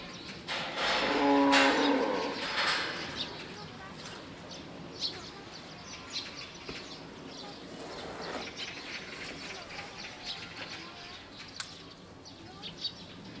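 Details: An elephant at Seoul Grand Park zoo gives one brassy, tonal call lasting about a second, followed by quiet background noise.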